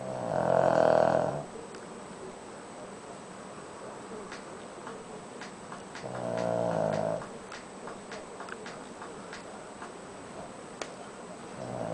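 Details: A pet Shih Tzu snoring quietly while asleep indoors: two drawn-out, nasal, buzzing snores about a second long, roughly five seconds apart, with computer keyboard clicks tapping in between.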